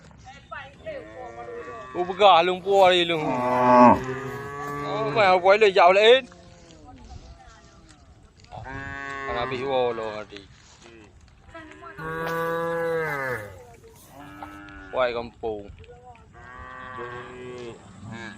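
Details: Several tame cows walking a road beside rice fields call to the herd in a busy chorus of overlapping moos. Wavering, bending tones come in clustered bursts with short quieter gaps.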